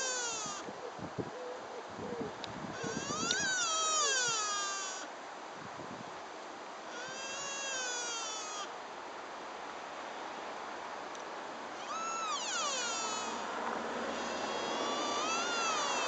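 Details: Deer in Dyrehaven deer park, Vejle, Denmark, making crying sounds: several drawn-out, wavering wails that rise and then fall, separated by quieter gaps, over a low rumbling background.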